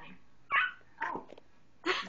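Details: Young chocolate Labrador Retriever puppies bark in brief, high-pitched yaps spaced about half a second to a second apart, calling to be let back into the house after their supper.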